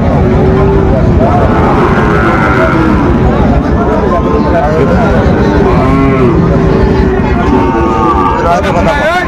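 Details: Sahiwal bull calves for sale at a market, being bought by a Dhaka farmer, 4 February 2025; several overlapping lowing calls come one after another amid busy chatter and the hum of traffic.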